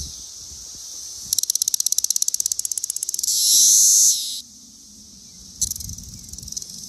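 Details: A male Brood XIII Cassin's 17-year cicada (Magicicada cassini) sings its mating call on a bur oak in Arrowhead Park, Naperville, Illinois, on June 16, 2024. Rapid dry tymbal ticks swell into a loud, hissing buzz as it extends its abdomen like a bellows.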